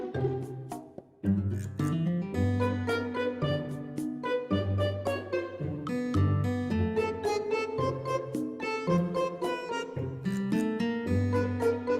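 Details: Plucked, pizzicato-style background music with guitar and bowed strings plays throughout, with no animal sound audible.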